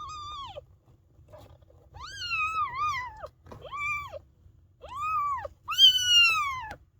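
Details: Maine Coon kittens a few days old, piling together: a series of high arched mews, each rising then falling, some wavering, about half a second to a second long, coming in quick succession with a low rumble beneath.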